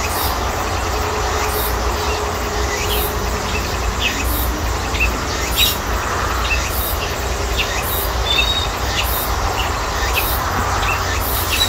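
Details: Cicadas singing in a persimmon orchard at midsummer, at the season's peak when summer is passing: a steady high shrill band with regular pulsing beats about every half second, over a constant low rumbling background noise.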